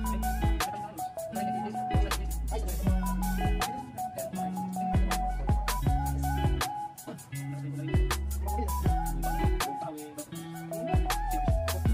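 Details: Steady music with a repeating melodic pattern and beat plays throughout, with no animal sound heard.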